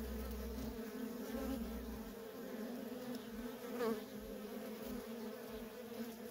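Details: Worker honey bees streaming in and out of a feral colony, producing an even, dense hum with a faint low rumble early on and a close bee briefly louder near the fourth second.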